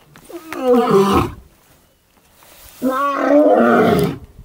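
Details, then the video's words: Wild male lion in the Maasai Mara, Kenya, on a morning: two long, moaning, drawn-out roars, each over a second long and separated by a short silence, heard at close range. "ROAR! Ormagilani, Musketeers legacy, Paradise boy, Maasai Mara lions"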